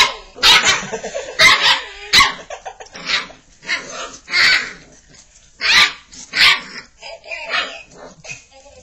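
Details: Five-and-a-half-week-old Labrador Retriever puppies playing with a ball toy give high, sharp yips and barks in short bursts, roughly every second, with squeaky toy noises between them.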